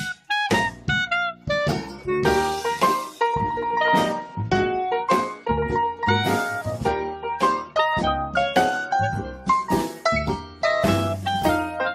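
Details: Lively jazz with piano, brass and saxophone plays throughout, with no animal sound.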